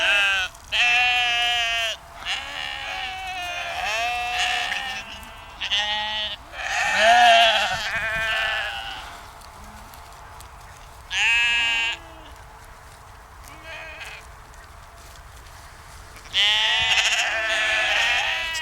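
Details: Sheep on a dike near the Westerschelde in Zeeland, the Netherlands, bleating in a series of quavering, nasal calls from several animals, some overlapping, with quiet gaps between; a low, steady background hum runs throughout.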